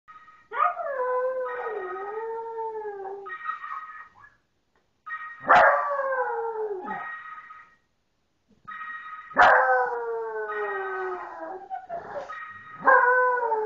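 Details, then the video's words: A pet dog howling along to a phone ringtone, as it does every time the tone plays; long wavering harmonic howls alternate with the steady electronic ringtone notes, with short gaps between phrases. "Singing Ozzie"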